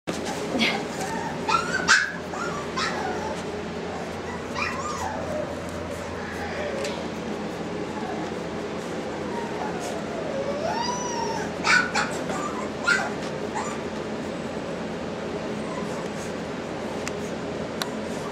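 Boston Terrier puppies give thin, rising-and-falling whines and a few sharp yips, with human voices nearby.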